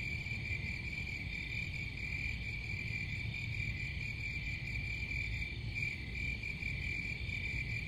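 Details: Crickets produce a sustained high ringing trill that wavers slightly in loudness, layered over dull low-pitched rumble that stays constant the whole time.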